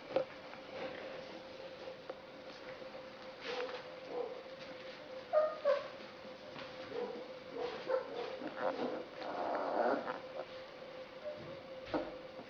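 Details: Basset hound puppies of litter "I" at a breeding kennel in Poland, September 2011, inside a room: scattered thin whines and brief yips, louder around the middle, with rustling and a constant low hum.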